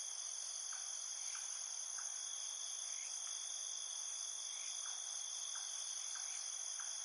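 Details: Crickets at night produce a steady, piercing high trill in several overlapping tones without pause. Faint, short lower chirps recur about every half second to a second.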